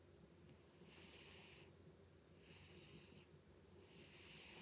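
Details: Butters the cat snoring loudly indoors: three soft, airy, hissing breaths, each lasting well under a second and spaced about a second and a half apart, over a quiet room hum.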